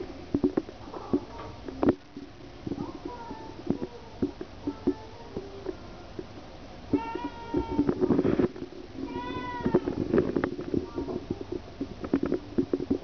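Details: Domestic cat purring steadily with rapid low pulsing and soft rustling, broken by short harmonic meows near the middle and a pair of clearer, rising-falling meows toward the end.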